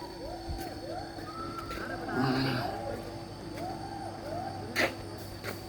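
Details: Western hoolock gibbon in Lawachara park calls loudly in repeated series of whoops, each swooping up and down, several a second, stopping and restarting; a man speaks over part, with a low background hum.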